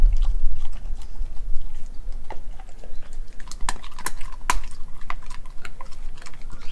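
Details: Nala, an Australian Kelpie and German Shepherd mix dog, eating raw beef liver, beef heart, chicken feet and chicken thigh; wet crunching bites and chewing clicks scattered irregularly over a low rumbling background.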